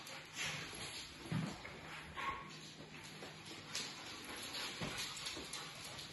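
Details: An English Setter and a Pit Bull play-fighting in a friendly way, with a French Bulldog nearby; short low grunting barks and growls come in bursts over scuffling and rustling, with a steady high hiss throughout.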